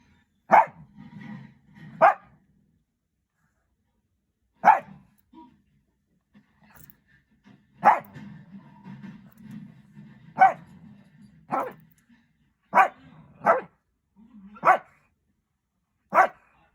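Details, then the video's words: Shih Tzu puppy barking at its daughter for no reason, sharp single barks spaced irregularly, about ten across the stretch, with low murmuring speech between them. "자기딸 보고 이유 없이 짖는 강아지 1탄(a puppy barking at its daughter)"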